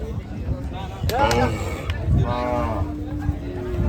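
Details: Gaiya cows at a cattle farm, a short harmonic bellow followed by a longer, level moo, over heavy low rumbling and clattering noise.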